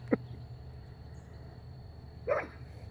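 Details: A pug barking at nothing gives two short, sharp barks about two seconds apart over a low background hum.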